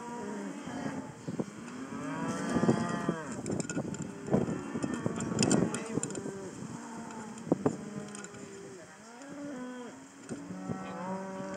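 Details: Spring-born Hereford calves, 36 intact bull calves kept at their mothers' side, bawl and moo continuously. Several voices overlap in short, bending cries, with a constant high hiss in the background.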